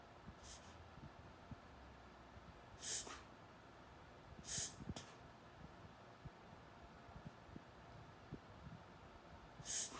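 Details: Augie the dog reverse sneezing: four sharp, breathy snorting gasps at irregular intervals of one to five seconds, harsh and noisy, over a quiet indoor background.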